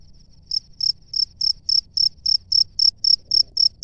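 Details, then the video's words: Male cricket calling from its nest to attract a female; loud, even, high-pitched chirps repeated about four times per second, each a short pulsed burst, with a faint continuous trill beneath. "SUARA JANGKRIK JANTAN DI SARANGNYA MEMANGGIL JANGKRIK BETINA"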